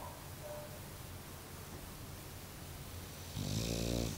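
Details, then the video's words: Sleeping Bulldog Mario, deep in slumber: mostly quiet low breathing, then a sudden rough, rattling snore rising in the final second. "Funny Bulldog Snoring"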